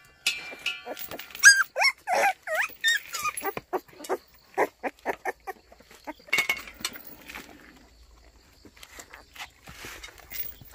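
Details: White Baekgu puppy in Cheongdo, Korea, greeting in the morning: high, curving whines and squeaks, then a run of short yips roughly twice per second, fading into quieter rustling.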